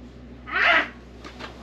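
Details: A stray cat, recorded in July 2023, lets out one brief, breathy mew lasting under half a second, with a low hum underneath and two faint soft clicks afterwards.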